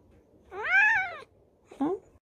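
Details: Indoor domestic cat in a five-cat household, New Year greeting: a long arched meow lasting nearly a second, rising then falling with bright harmonics, followed by a short second meow.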